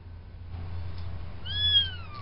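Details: A farm kitten at the fluffball stage, one of four in a litter, gives a single high meow that starts sharply and slides slowly downward, heard late after a low steady hum.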